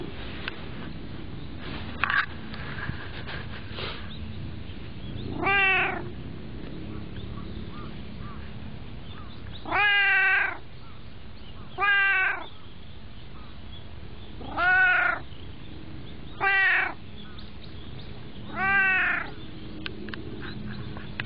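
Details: A white cat that likes to ride on knees utters a series of short arched meows, six calls in the second half spaced about two seconds apart, after a quieter opening with low background noise.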